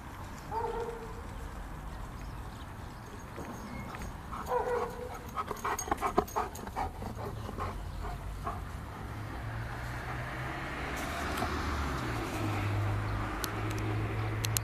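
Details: Giant Schnauzer named Vito while playing: brief high whimpering whines near the start and again around four to five seconds, with a burst of clattering thumps in between, then steady rustling and a low hum toward the end.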